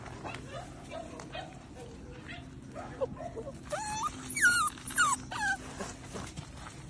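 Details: Nearly two-month-old English Springer Spaniel puppies from one litter playing together: a burst of high, sliding whines and short yips, some rising then falling, bunched over two seconds against a steady low hum.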